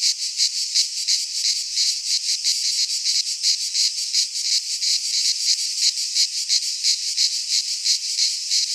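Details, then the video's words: Midsummer chorus of cicadas in a pine forest in Greece, a loud, shrill buzzing that throbs in regular beats about three times a second, with no other sounds standing out. "Cicadas singing in midsummer"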